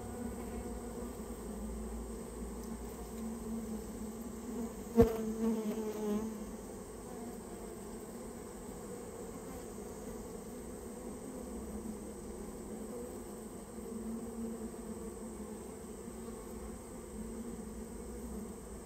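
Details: Japanese honey bees from a rare colony nested inside a storehouse, being removed on request: a steady low hum with a clear fundamental and an overtone above it, and a single sharp knock about five seconds in.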